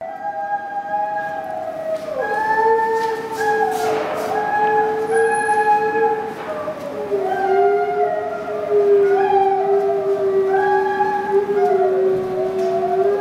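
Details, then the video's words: Two captive gray wolves, Kinako and Jay, howling in chorus inside the Ezo deer and wolf house at Sapporo Maruyama Zoo, Japan, 26 March 2010. Long overlapping howls echo loudly: one voice holds low and steady while the other slides up and down, with rich harmonics. "Chorus howling in Sapporo Maruyama Zoo"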